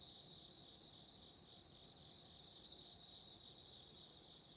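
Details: A close insect's rapid pulsing trill cuts off within the first second, leaving a background chorus of autumn insects as a thin, unbroken high-pitched whine.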